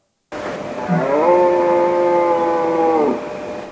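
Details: Red deer stag roaring during the rut, heard mostly at evening or dawn from late August to late September, calling to herd hinds and signal mastery of the harem: one deep, drawn-out harmonic bellow about three seconds long.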